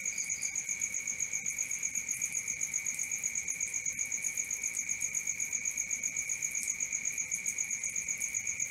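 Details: Night-time cricket chorus, one even high-pitched trill held constant beneath a rapid string of sharper, higher pulses, unbroken for the whole stretch, with no other clear sounds.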